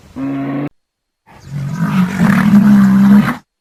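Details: A bear gives a short, deep moaning growl, then after a pause a longer, rough, rising roar that swells and holds before cutting off, growls and roars used to communicate with other bears or mark territory.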